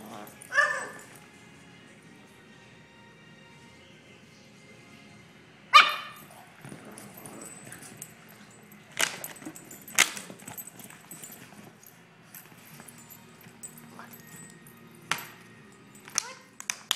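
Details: Boston Terrier puppies at play in a house, giving about six sharp, separate barks spaced irregularly across the stretch, with steady music playing underneath.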